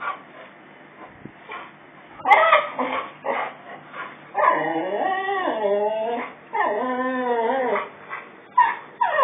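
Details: Boxer dog, male, whimpering at his own reflection in a mirror removed from the mantelpiece while moving house; repeated drawn-out, quavering whines that bend up and down in pitch, broken by short yelping bursts.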